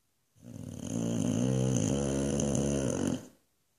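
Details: A sleeping Boxer dog in Australia gives one long, loud, rasping snore lasting about three seconds. The snore is a deep, buzzing rumble with a steady, fluttering texture throughout, recorded indoors.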